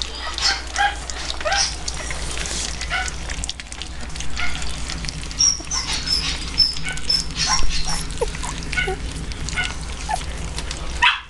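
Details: Several puppies, three weeks old, eating their first meal: short high whimpering squeaks come in loose bursts among wet lapping and chewing noises, with a constant low background hum.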